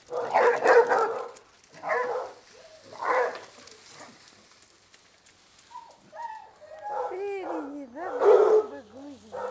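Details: Basset Hounds romping at a Brazilian kennel: coarse barking bursts give way to drawn-out, wavering bay-like howls that rise and fall in pitch, ending in another rough bark.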